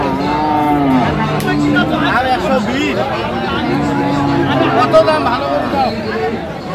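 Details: Friesian and crossbred heifer calves at Raniganj haat, Dinajpur, 29 January 2025; a sustained low moo is followed by a second one a moment later, while traders haggle loudly around them and music plays softly.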